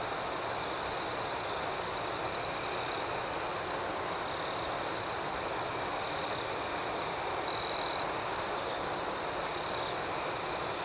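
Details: Many crickets chirp through the night, a continuous high ringing note layered with quick, irregular pulsed chirps higher up; one louder, clearer trill stands out for a moment near the end.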